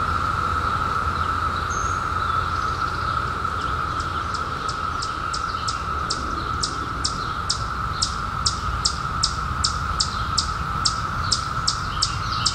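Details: Periodical cicadas emerged in 2021 after a 17-year hiding, droning in a continuous even-pitched whine. From about three seconds a bird adds sharp, rapid chirps repeated roughly every half second.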